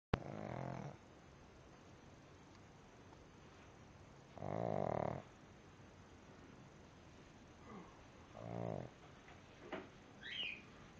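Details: Pug fast asleep, snoring indoors: short rasping breaths of about a second, spaced irregularly several seconds apart, with a few softer fainter snorts toward the end in a quiet room.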